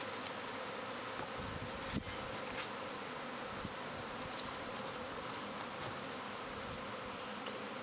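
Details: Spring swarm of pet honey bees, half the colony with a new queen moving to a second backyard hive: a thick, unbroken droning buzz from many bees, with a few soft knocks.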